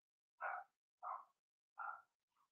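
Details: Cavalier King Charles Spaniel puppy, one of a Blenheim litter in a puppy pen, giving three evenly spaced high barks followed by a faint little whimper.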